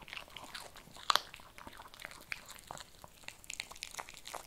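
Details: Crisp bites of kibble from a Shih Tzu, with one loud crunch early on followed by steady lighter crackling and chewing clicks.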